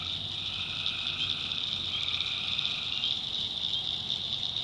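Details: Tree frogs in a North Carolina backwoods swamp at night fill the air with a dense, high, buzzing chorus, with a faint lower trill held steadily beneath it.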